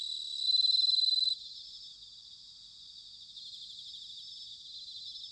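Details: Autumn bell cricket song recorded in Sanuki, Chiba, Japan. A loud, clear, bell-like ringing opens and cuts off after about a second. A softer, continuous pulsed chorus of insects follows.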